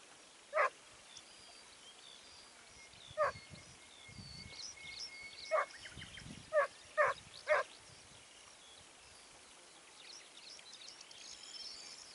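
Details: Segugio Italiano hound in the Evros countryside at Sofiko, 29 May 2019, barking in sharp single yelps, first widely spaced, then a quick run of three, while birds sing steadily behind.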